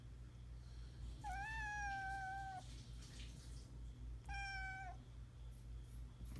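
A Norwegian Forest Cat kitten gives two high, clear meows, the first long and steady, the second brief.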